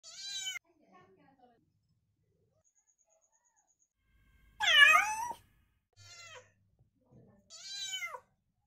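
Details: Rescue kittens meeting a new kitten for the first time indoors: several high, bending meows, one loud falling-then-rising cry near the middle, with quiet pauses between calls.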